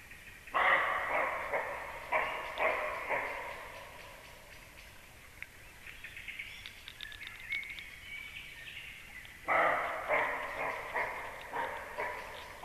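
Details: A deer barks near a nest at 19:31, two bursts of hoarse, rapid barks with faint bird calls between them.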